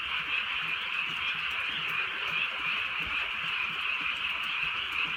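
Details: Frogs croaking through a rainy night in the countryside during light drizzle, the massed calls pulsing quickly and evenly in a loud, continuous trilling chorus, with faint low patter underneath.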